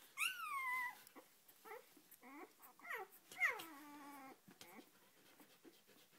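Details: Oscar, a four-day-old Australian Shepherd puppy from a Sojo x Hustle litter, being petted: a loud descending squeal opens, followed by softer short whimpers and another sliding cry midway, then quiet rustling.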